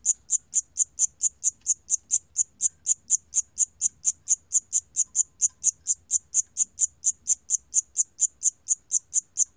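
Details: Evenly spaced, high, ringing cricket chirps, close to four each second, continue without pause in a 2020 National Institute of Biological Resources recording; nothing else audible.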